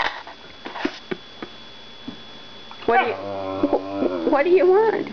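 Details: Macie, a little female whippet in foster care, noted for a very deep voice and a very high-pitched bark, in a small room: quiet taps, then wavering, harmonic whine-like 'talking' that rises and falls in several drawn-out bursts.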